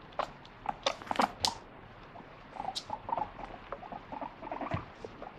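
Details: Moru the pet guinea pig complains indoors about not getting a treat, giving short squeaky 'pui pui' notes in quick runs mixed with sharp patter and chewing-like clicks.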